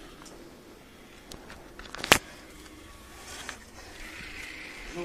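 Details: Faint murmured speech over a low background hiss, with one sharp loud click near the middle and a few softer taps, with no animal voice heard.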